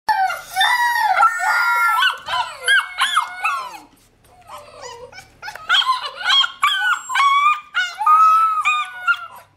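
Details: Several 6-week-old Alaskan Malamute puppies howl together for their mother to feed them while she is reluctant, in high, wavering, overlapping tones that rise and fall.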